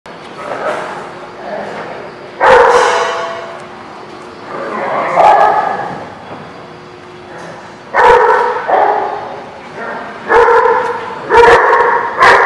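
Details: Dog at a place called The Barking Lot, recorded 26 September 2016; loud deep barks in irregular bursts, several in quick succession near the end, with a vocal murmur between them.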